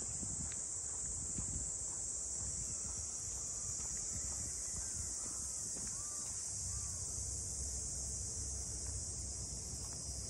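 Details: Steady, high, sizzling drone of cicadas along the funaya port houses of Ine, north of Kyoto, Japan, with a few short bird chirps in the middle and soft wind-like low noise.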